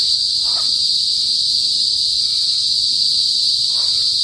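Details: Kuliglig, Philippine cicadas, calling loudly in a rural northern province of the Philippines before sunset: a continuous, intense high-pitched drone held steady throughout, with faint low rural background sounds.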